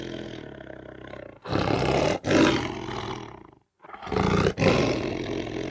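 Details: Lion giving rough, powerful roars in two bursts, each a broad, grating blast cut by brief clicks, separated by a short silence, with a lower rumbling roar leading in at the start.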